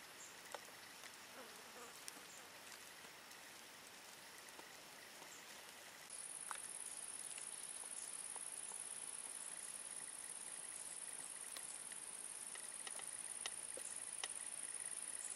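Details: Large marsh grasshoppers in marshland in the Vendée, France: isolated sharp ticks at irregular intervals of about one to two seconds, with a steady high-pitched hissing buzz joining halfway through.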